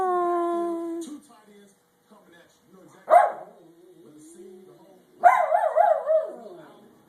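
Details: Jeter, a pet dog, gives a steady droning whine that breaks off, then a short sharp yelp and a later quavering, trilled howl with fast pitch wobbles, separated by near-silence.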